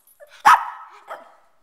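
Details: A male pet Shih Tzu lets out one sharp, loud bark that trails into a brief whine, then a softer second yelp; the room is otherwise quiet.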